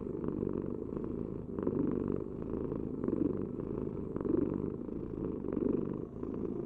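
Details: Domestic cat purring, a continuous low rumbling vibration with fine rapid pulses, swelling louder roughly every 1.2 seconds as breaths alternate; no other sounds stand out.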